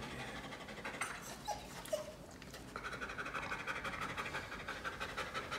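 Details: One-year-old poodle-family dog nicknamed Wolf Dog, nearly 60 pounds, at a friend's home in South Carolina: a few short high whines, then steady rapid breathy panting pulses, about two per second, in a small room.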